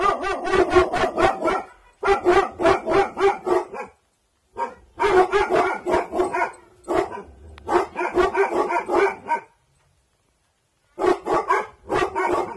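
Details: At night a guarding Bhotia dog, Dabu Goli, from an aggressive bloodline, barks in rapid strings of loud, rough barks, about four per second, broken by short silences.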